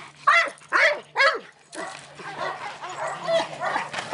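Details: Presa Canario dog, eight months old, gives three loud, deep barks in quick succession, about half a second apart, followed by softer, rougher repeated vocal sounds.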